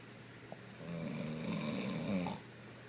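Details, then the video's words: Sleeping female Boston Terrier snoring beside her owner indoors: a drawn-out, low rumbling snore with a buzzy, harmonic texture that swells and then fades, over a steady low hum in a quiet room. "Boston terrier snoring"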